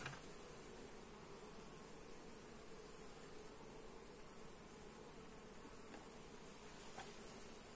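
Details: Honey bees in a hive during an inspection, recorded on a Xiaomi Redmi Note 8 phone: a steady, dense low hum with a constant drone band, unbroken for the whole stretch, with faint ticks of handling.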